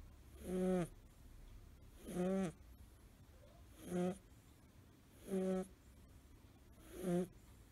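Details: Suzu, a five-month-old male blue tabby American Shorthair kitten, snores while asleep curled up. His snoring appears only in that curled position. Five nasal, buzzy snores with a low harmonic hum come about every one and a half seconds over quiet background.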